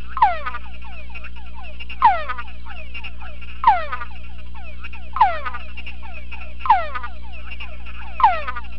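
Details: Túngara frog, a male tested in a sound-proof box while a conspecific chorus plays from a speaker. Six strong falling whines at slightly uneven intervals stand out against many quieter chorus whines and a low droning hum.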